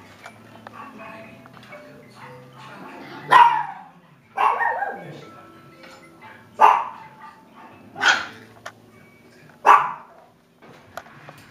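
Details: Six-week-old Klee Kai and Shiba puppies on their first day out, giving about five sharp barks or yelps spaced a second or two apart, with faint background voices and music between them.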